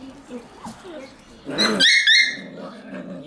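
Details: Shiba Inu puppies, a litter with a black Shiba, indoors; two sharp high yelps with harmonic whine after one and a half seconds amid soft background chatter and human voices.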